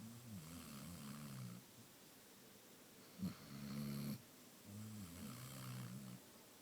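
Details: Amaya, a sleeping Basset Hound, snoring indoors: low, rumbling harmonic snores with a wavering pitch, three long breaths in about seven seconds, one with a short sharp click at its start, over a quiet room hiss.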